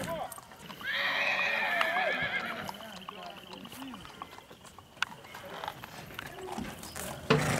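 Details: Black Tennessee Walking Horse gelding under saddle at Big Money Stables in Texas, giving a long whinny. Its high, quavering tones fall from about one to two and a half seconds over soft hoof clip-clop and faint background voices.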